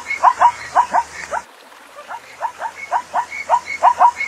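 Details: Zebra calling: a fast series of short, yelping barks repeated about twice per second, breaking off briefly after the first burst, then resuming in an even rhythm, with no other clear sounds.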